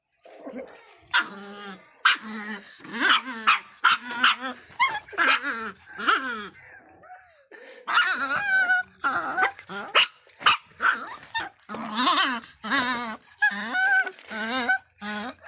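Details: Angry little Miniature Pinscher named Faísca barking in bursts of sharp, harmonic yaps mixed with high rising whines and yelps, with short pauses between flurries and a brief quiet stretch midway.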